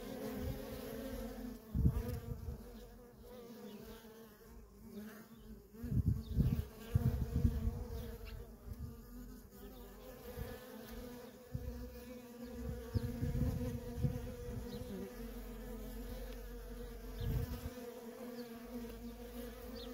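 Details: Honey bee workers crowd a feral colony in constant traffic, giving an even humming drone with rich overtones. Louder swells come as bees pass near, around two, six to eight, and thirteen seconds.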